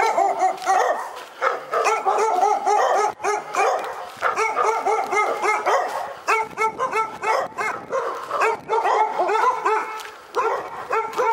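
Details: Continuous dog barking recorded at Pyrga: rapid, near-constant strings of harsh barks with only momentary breaks, loud throughout.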